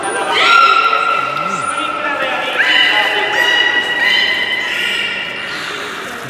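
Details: Captive belugas in a public training show at Port of Nagoya Public Aquarium, 24 March 2018; long sustained harmonic squeals and whistles, a few abrupt rising onsets, under a steady murmur of audience voices.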